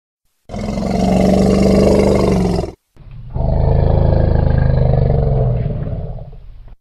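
An elephant gives two deep, drawn-out roaring calls, each lasting a couple of seconds.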